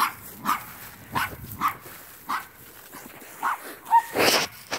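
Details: Male wire-haired Portuguese Podengo Pequeno puppy, four months old and outgoing, named Mink. Scattered short, sharp barks spaced about a second apart, one brief squeaky whine, and a louder burst near the end.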